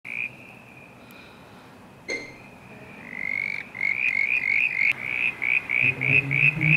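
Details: Southern brown tree frog (Litoria ewingii), one of at least 30 calling at night in a backyard pond on 3 September 2016. Sparse high notes give way to a rapid series of short, rising, whistled pulses, about four per second. Soft background music.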